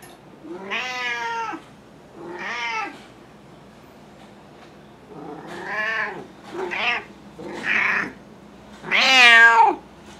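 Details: Henry, a 16-year-old domestic cat with large cell lymphoma, meowing during a Reiki session on July 28, 2021: six harmonic meows in quick succession, some drawn out and wavering, the final one loudest and highest, in a quiet room.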